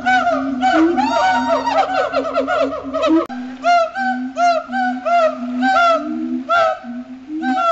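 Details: Captive siamangs at Riverbanks Zoo, the day after Christmas, sing a territorial duet with booms and barks resonated through inflated throat sacs. Loud, overlapping, harmonic barking hoots arch up and down in rapid series, with a brief break midway.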